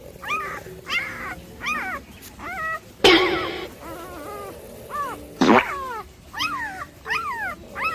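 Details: Several Labrador Retriever puppies yawning: about a dozen squeaky, high whining yawns that rise then slide down, overlapping in quick succession, with two louder breathy, rasping bursts midway.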